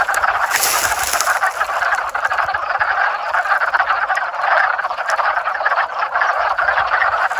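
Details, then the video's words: Many frogs calling together in a backyard pond during the 2021 mating season, a dense continuous croaking chorus of overlapping pulsed calls with no voices; a faint high steady tone sits above. "Frog Pond Serenade"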